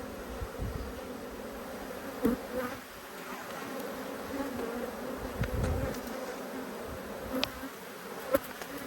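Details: Cross honey bees, smoked so they do not go ballistic during an inspection, fill the air with a steady droning buzz. Sharp clicks and thuds from working the frames punctuate the hum.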